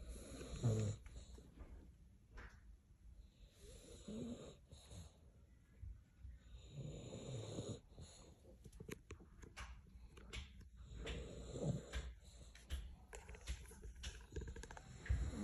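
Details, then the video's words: A sleeping dog snoring loudly indoors, deep rumbling breaths repeating every couple of seconds in a small room, low and rough with soft wheezy edges. "Loudest snoring dog in the world"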